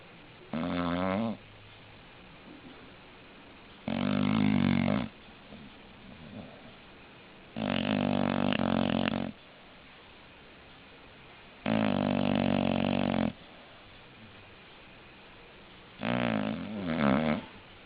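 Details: English Bulldog snoring steadily, five loud raspy snores roughly every four seconds, each about one to one and a half seconds long, quiet room hum in the gaps.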